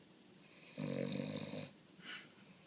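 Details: A Boston Terrier snores in a deep nap after a morning of waking up, a rough, rattling breath followed by a softer snuffle.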